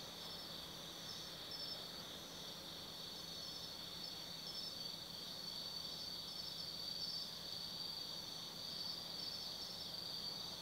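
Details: Autumn insects singing at night in the Tsukimi no Mori forest, Kaizu, Gifu Prefecture, Japan, near a 180 m lookout over the Nobi Plain; a steady, high shimmering chorus with overlapping trills and chirps, plus a faint constant low hum beneath.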